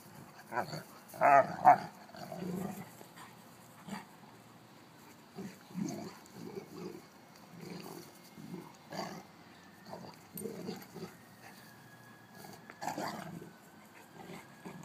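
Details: Old mastiff with a 6-month-old, both female, making a run of low growly grumbles and short vocal bursts, several loud ones early on, with quiet gaps and faint background noise between.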